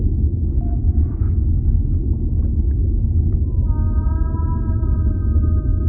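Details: A whale underwater gives a brief faint tone near the start, then a long sustained harmonic moan with several stacked overtones begins midway and holds to the end, above steady deep rumbling water noise.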